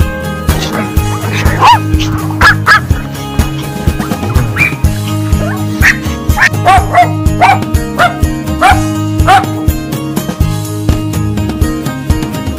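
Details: Dog barking in short, sharp yaps scattered through the clip, several in quick pairs, laid over loud steady background music.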